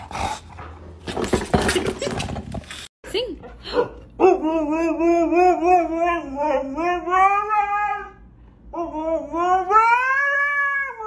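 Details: Dog in a funny compilation: after a clattering start and brief noise, long drawn-out harmonic howls that sag and rise in pitch, a short pause, then another rising howl.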